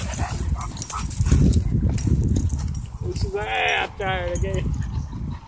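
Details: Wolfdog play fighting with a husky at a dog park, throwing and pinning it; low rumbling scuffle noise, then a short series of wavering, whining cries near the end, with people talking in the background.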